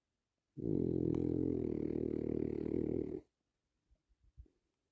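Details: A relaxed French Bulldog snores with one long, low, rattling breath, followed by a few soft snuffles.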